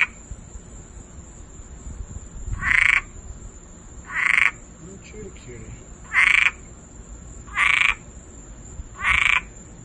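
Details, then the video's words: Backyard frog calling ahead of Hurricane Dorian; after a quiet couple of seconds, five short rasping croaks come at a steady pace of about one every two seconds, over a constant high-pitched whine and faint low background rumble. "Frog chilling in my backyard before hurricane Dorian and singing"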